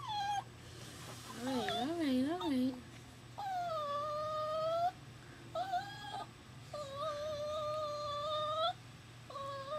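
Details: New male puppy indoors at work, crying almost nonstop after leaving its mother: long, high, drawn-out whines with steady tone, broken by short gaps, plus a brief wavering warble early on and low room hum beneath.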